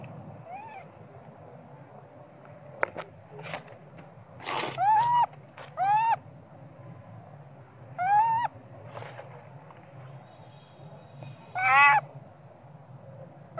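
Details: Small young monkey crying and screaming for its mother Popeye to nurse it, perhaps hungry for milk; several rising, wavering harmonic cries, some loud and drawn out, spaced a few seconds apart, with sharp clicks and a low background hum.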